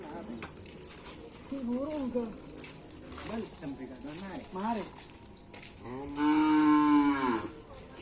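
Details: Cattle at karapan sapi bull-race training on the Asemanis field, with the Dracula Sakti team present. Human voices come first, then a single loud, steady, low moo lasting over a second, over background chatter.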